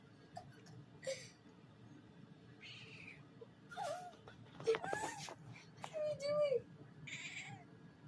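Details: Domestic cat making funny sounds, a few short scattered meows with bending, wavering pitch, some rising then falling, separated by quiet gaps, with a steady low hum and a person talking nearby.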